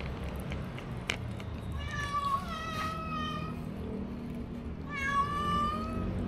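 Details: Stray kittens given little food, filmed on a DJI Osmo Action: two drawn-out harmonic meows, one steady then wavering and a second rising and falling near the end, over low background rumble and faint chewing clicks.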